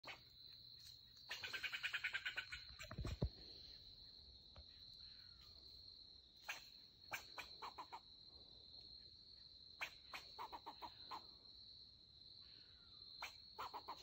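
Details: Rare melanistic black fox squirrel, angry at an intruder and defending its territory during deer tracking, gives sharp, clipped chucks in short irregular bursts after an early rustling flurry, over a steady high insect drone.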